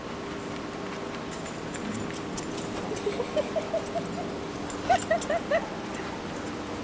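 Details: Dogs at DogPlay Dog Daycare in Vancouver on a Saturday morning give short, high, whining yips in two quick bursts of four or five notes, over the steady hum and clatter of a busy indoor room.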